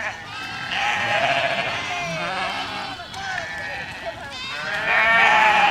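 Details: Village goat flock on the move, a continuous tangle of nasal, tremulous bleats from several animals, brief lulls around three and four seconds, then a louder burst of calling at the close.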